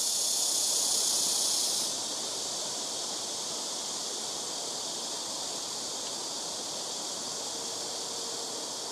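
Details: Blackish cicadas among rooftop trees: a loud high buzz drops off after about two seconds, then a softer, steady shimmering drone from more distant insects carries on to the end.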